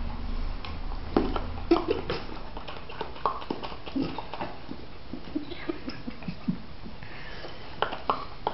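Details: Chocolate brown Labrador puppy and his golden Labrador brother stand by a table eating spaghetti, making funny noises: wet smacking, chewing clicks and short grunts scattered through an indoor room, with sharp taps and knocks between them.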